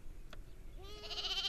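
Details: Sheep reared in the forest of Jungalmahal: after a brief click, a single bright, wavering bleat rises in and holds to the end, rich in overtones, over quiet background hiss.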